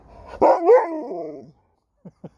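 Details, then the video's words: Sherpa, an Alaskan Malamute from Cornwall, England, talking back at home while being spoken to: one loud, harmonic woo-woo howl that rises and wavers for about a second, followed by two faint short taps. "Dog won't let me Finish a Sentence without Talking Back!"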